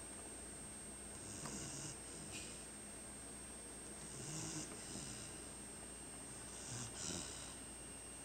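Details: Ocean, a female chocolate Labrador Retriever, sleeping and snoring at home while taking over the house. Soft, breathy snores, each a low rumble with a hiss, come at irregular intervals about two to three seconds apart over a quiet room hum.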